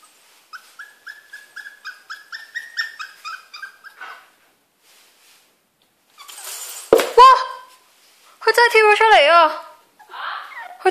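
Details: Poodle that has learnt to climb out of his cage, giving a run of short, high, repeated whines, then a Cantonese-speaking voice and a few louder, wavering yelps.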